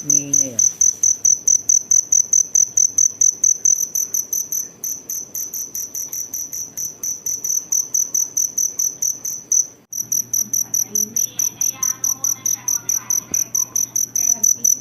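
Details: Cricket, locally called kuliglig, chirping in steady rapid pulses about twice a second, each a high bright tone with a higher overtone; brief pause near ten seconds, then resumes alongside faint voices and background noise.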